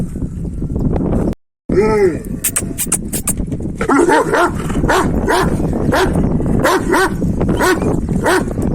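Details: Kangal dogs, males after a female: a lone rising-and-falling cry after a short break, then a fast run of short harmonic yelps about twice a second, with people talking and laughing over them.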